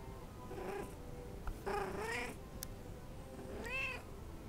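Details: A pet cat meows twice, first a drawn-out wavering meow, then a shorter meow that rises and falls, with a faint earlier mew and a low steady hum in the background.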